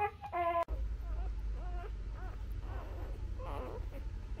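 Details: Newborn Labrador Retriever puppies nursing on their mother: one bright, harmonic squeal at the start, followed by fainter arched whimpers over a steady low hum.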